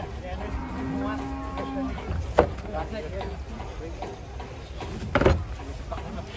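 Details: Agitated cow swimming through water as a crowd of villagers gathers: one long, flat, droning moo of about two seconds, then sharp splashes and thumps amid murmuring onlookers.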